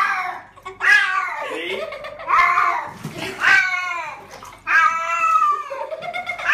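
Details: Domestic cat, female, during a bath indoors in a small room; drawn-out harmonic meows rising then falling, several in a row, with a person's soothing voice and splashing water between them.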